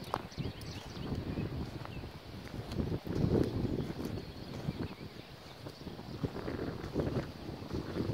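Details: Registered Appaloosa gelding BR Bigshot, called Echo, six years old and 16 hands, ridden in the evening through jog, extension, turnaround and lead changes; steady muffled hoof thuds and scraping on ground footing throughout, no voices prominent.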